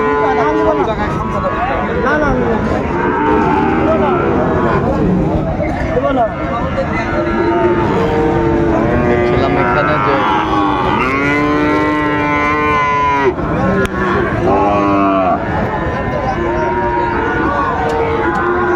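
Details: Sahiwal cattle, including a bull calf bought by a Kushtia farmer, at a busy Bangladeshi cattle market on 13 February 2025; overlapping deep drawn-out moos from several animals sound over constant crowd chatter and men talking nearby.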